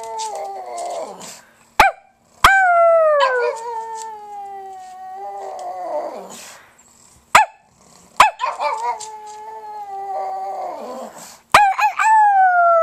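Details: Howling pug giving a series of drawn-out wails, each a few seconds long, starting high and sinking downward into a rough ending, separated by short gaps and sharp clicks.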